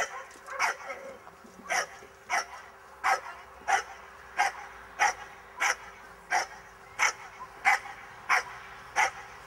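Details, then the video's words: Miniature English bull terrier barking during a defence training class; short sharp barks repeated at a fairly steady pace, roughly one or two per second, throughout, with a faint steady hum behind. "Bull Terrier Miniature Defence"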